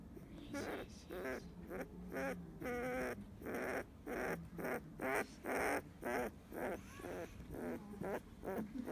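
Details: Field-type Labrador Retriever puppy, 15 days old, growing sleepy while being stroked as it lies in the sun; soft, short whimpering squeaks repeated about twice a second, each a brief wavering tone, with quiet rustling between.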